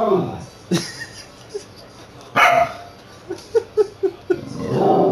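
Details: Pet corgi "singing" to the household cat in a hallway, captured on a handheld game console; a run of short, tonal yips repeated in quick succession near the end, earlier sharp bursts, and a person talking to the dog.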